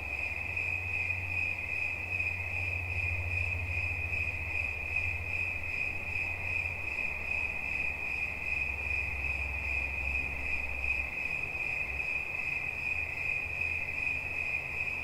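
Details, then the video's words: Continuous high-pitched cricket chirping for relaxation, a fast even pulse that never stops, accompanied by an intermittent low rumble. "Świerszcz. Dźwięki relaksacyjne"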